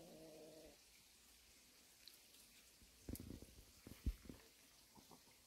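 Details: A mother cat and her kittens resting in a warehouse. A short, low, tonal meow opens the recording. Quiet shuffling and light knocks follow.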